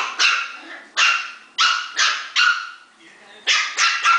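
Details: Puppies barking while play-fighting; a series of about eight sharp, high-pitched yaps spaced roughly half a second apart, each falling away quickly, with soft whimpers in the short gaps.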